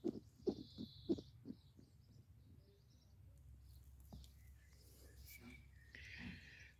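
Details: A female European hedgehog (Erinaceus europaeus) snores in soft, rhythmic puffs, several each second, while sleeping by day in a hollow tree trunk in a leafy garden, then quiet background noise.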